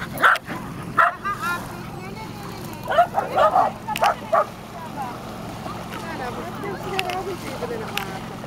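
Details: Tricolor Shetland Sheepdog on a dog beach near Nijkerk, Netherlands, 3 August 2011: a run of short sharp barks and yips in bursts at the start and middle, then quieter, with people talking in Dutch and wind in the background.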